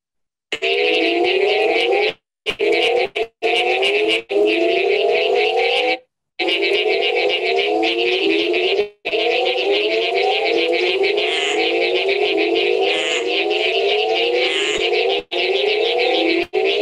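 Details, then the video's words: Mexican burrowing toad, Calakmul Biosphere, Mexico, giving a low, droning, harmonic call with rapid upward-sweeping pulses, broken by brief dropouts. "that's the call of the Mexican burrowing toad that I tried to play earlier."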